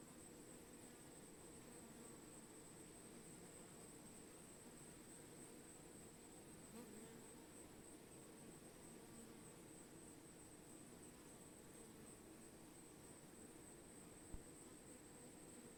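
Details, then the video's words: Bees buzzing as an unbroken low, even hum with several layered tones, a steady thin high whine above, and a sharp click late on. "Bees - Relaxing Sound of Bees"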